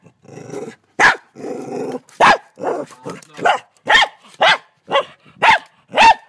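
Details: Frightened dog trying to bite a huge mantis in Australia. Two drawn-out low growls lead into about ten loud, rough barks fired off roughly twice a second.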